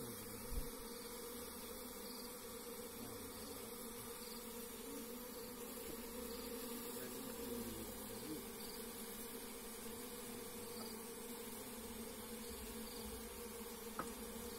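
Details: Wild forest bees swarm around a hive as it is harvested by bare hand. A steady, low droning hum with a mid-pitched tone holds throughout, and one sharp click near the end.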